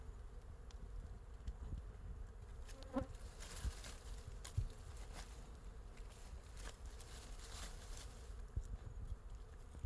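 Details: Wild honey bees covering a large hive on a tree branch in forest, producing a constant low buzzing drone, with short crackling ticks and a brief higher buzz of a single passing bee near the third second.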